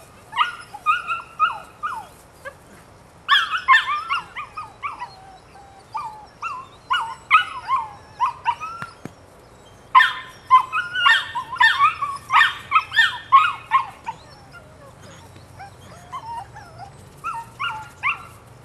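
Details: Rodin/Katana female puppy, 9 weeks old, giving bursts of high, harmonic yips and whining squeals in quick, irregular runs, with short pauses between volleys and a quiet background.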